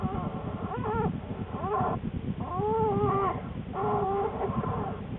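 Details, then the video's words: Pregnant American black bear in her den in mid-January, soon before two cubs were born: four wavering, rounded whining calls in quick succession, each arching up and down, with steady low rustling beneath. "Black Bear - Sounds from the den"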